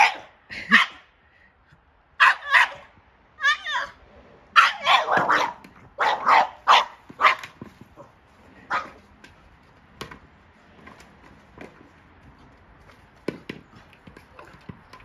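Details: Boston Terrier freaking out at a Jolly Egg toy, giving loud, sharp barks in uneven bursts, several quick in a row around the middle, then fainter scattered yips and noises toward the end.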